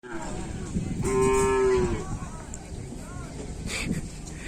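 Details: Cattle at a full training session at the Asemanis field in Pamekasan, in preparation for a Kerapan Sapi bull race event. A single steady, tonal moo lasts about a second over a busy outdoor background with crowd noise.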